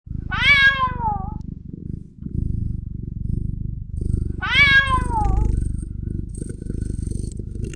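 A kitten gives two drawn-out, falling meows over a steady, rumbling purr.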